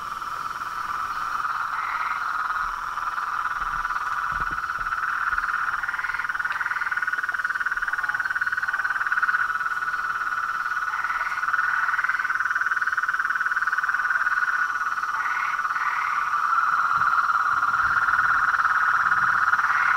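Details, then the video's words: Toads, frogs and tree frogs chorusing at dusk by a small reservoir in front of a house veranda: a dense, unbroken mid-pitched trilling that swells steadily louder across the twenty seconds, with a few brief higher chirps on top. "A SINFONIA DOS SAPOS, RÃS E PERERECAS"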